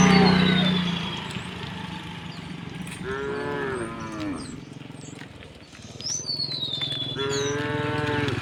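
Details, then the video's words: Herded tame cows crossing a wooden bridge to the fields, mooing; two drawn-out harmonic moos in the middle and end over a low rumbling background, with scattered bird chirps and whistles. "herding tame cows across the bridge to get to the fields, the sound of cows mooing"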